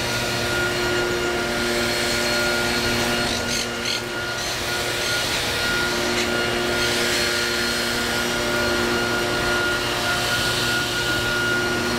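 A steady mechanical hum with a rough scraping, tool-like noise throughout, and no animal voices.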